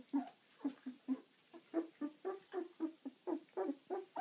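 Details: Eleven-day-old dog puppies moving around: a steady series of short, low squeaky grunts and yelps, about three per second, indoors and quiet otherwise.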